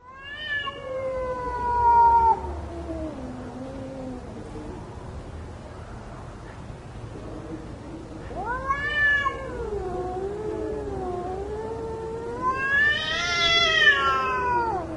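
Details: Cats fighting: drawn-out, wavering yowls that slide downward, then rise again in overlapping harmonic wails toward the end, over a steady background hiss.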